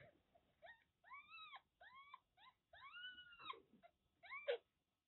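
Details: Kittens about one month old, born to a stray cat in Kagoshima, Japan, from a litter of five, give a run of high, arched, tonal mews, each rising then falling, some short and some drawn out, in quick succession indoors.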